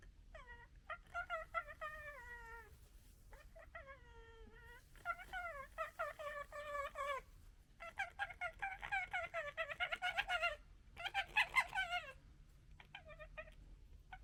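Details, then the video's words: A female fox gekkering at a male fox: whining, falling cries that break into rapid, harsh stuttering chatter. "Fox Funny Gekkering Sounds"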